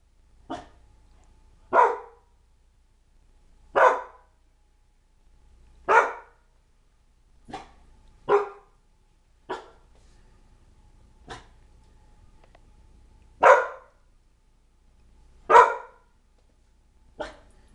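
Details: A Siberian Husky indoors at home, afraid of and unsure about balloons in the house, gives sharp, fearful barks, one roughly every two seconds.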